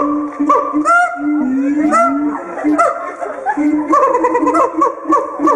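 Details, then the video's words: Captive siamangs in a small cage giving a loud territorial and pair-bonding song amplified by the inflatable throat sac: overlapping rising whoops and barking notes with steady low tones, dense and continuous. "Gibbon Monkey Loud Scream Singing Affe Siamang Schreie Laute Kehllaute"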